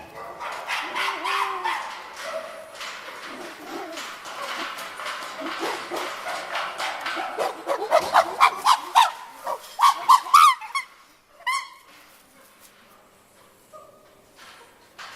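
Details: Captive chimpanzees at Tama Zoo, Japan, screaming as they go back into their sleeping quarters; loud overlapping harsh cries build and rise in pitch into a shrill peak, then break off into a few scattered calls and quiet.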